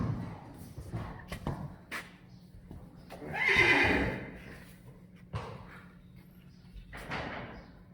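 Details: Friesian horse in a herd being measured for height. After quiet knocks, a loud rising-and-falling whinny lasting about a second midway, then faint thumps and a softer later burst of noise.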